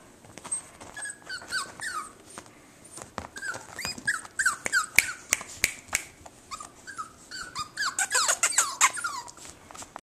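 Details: Jack Russell terrier puppy giving rapid high-pitched squeaky whines and yelps. The short, falling squeals repeat irregularly about three times a second and grow busier toward the end, with light clicks and knocks underneath.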